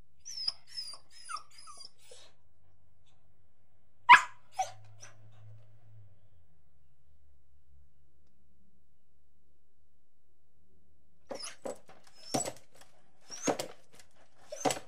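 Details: Angry dog: thin, high squeaky notes first, then one loud isolated bark with a softer follow-up, a long silence, and finally a scattered series of harsh barks.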